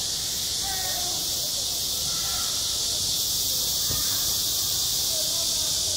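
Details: Midsummer cicada chorus over a school playground, a steady shrill buzzing wall of sound with a fine pulsing texture; faint faraway voices and a brief low thump can be made out beneath it.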